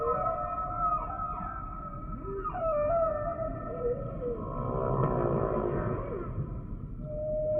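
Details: Singing humpback whale: overlapping high whistles and falling swoops, then a dense pulsed, rasping moan near five seconds and a steady mid tone at the close, with low rumbling beneath.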